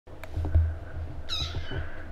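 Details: A rescued kitten growing talkative gives a single drawn-out meow, high and slightly falling, after a second of soft low thumps and background hum.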